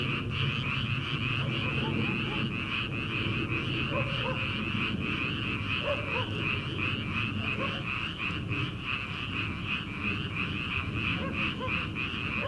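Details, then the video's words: Rice-paddy frogs in early summer, before transplanting, call as a dense pulsing chorus; scattered mid-pitched croaks repeat irregularly over the steady high trill, with a low background rumble. "초 여름 개구리 울음소리/ 논에서 들리는 개구리 소리"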